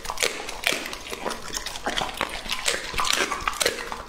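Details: Lucky, an English Labrador male aged two and a half, chews peaches, baby corn and berries close to the microphone; bright, sharp crunching bites repeat quickly, with wet smacking between them.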